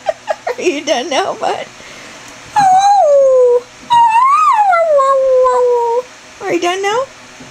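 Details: Greyhound Chevelle performing the roo and whine combo indoors: a person talks over wavering whines at first, then two sustained, gently falling roo howls, and a rising whine at the close.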